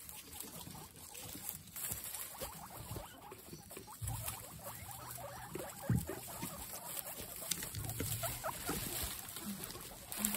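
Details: Several excited guinea pigs making noises: a busy run of short, quick squeaks and clicks in uneven bursts, with rustling patter and a steady low hum throughout.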